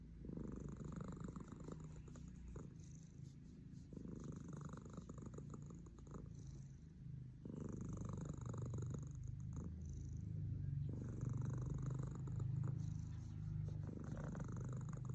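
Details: Sleeping domestic cat Cemi snores steadily, a low throaty rumble swelling with each breath in cycles of about two to three seconds, growing heavier in the second half.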